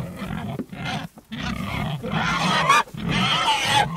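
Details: Pigs in a group, a dense overlapping mix of low grunts with rough, higher squealing cries, nearly continuous with short breaks, no other sounds.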